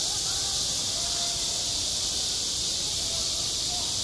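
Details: Cicadas crying on a schoolyard in the height of summer, an unbroken high, rasping wall of buzzing, with soft faint tones in the background.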